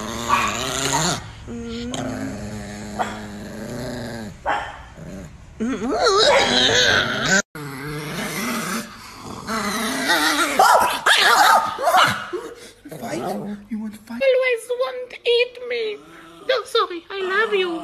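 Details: Niki, an angry Chihuahua, growls in rough, snarling bursts broken by higher yips and whines. The bursts swell and fade irregularly, with human voices heard now and then.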